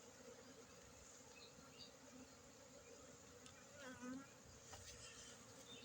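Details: Honey bees in Aceh hum in a constant low drone, their buzzing swelling briefly with a short louder rise partway through.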